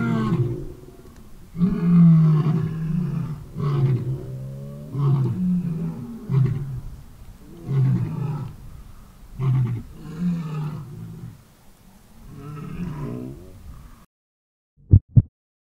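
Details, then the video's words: Lions at a big cat sanctuary answering and echoing a male's roars: a run of low, deep grunting roars roughly every one and a half seconds, fading out, then two sharp knocks at the end. "Listen to this powerful roar!"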